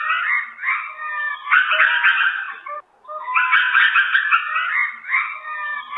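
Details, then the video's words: Lemur calling in two long raucous bursts, each a dense harsh, quavering roar with wavering tones, split by a brief silent break near the middle. "Lemurs sounds"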